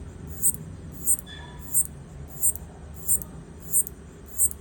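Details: A locust communicating with its partner gives short high-pitched clicks in an even series, about 90 per minute, with faint low rumble underneath and a brief soft tone near the start; captured on an iPhone.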